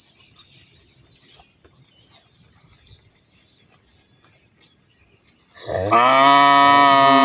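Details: Cow calling partners to mate: several seconds of bird chirps and twitters over quiet background, then a loud, sustained moo that starts abruptly and carries on to the end.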